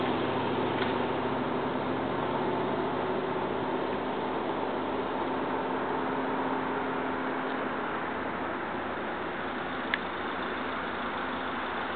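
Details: Steady broadband hiss like wind or passing traffic with a faint hum and one brief click; no animal call is heard.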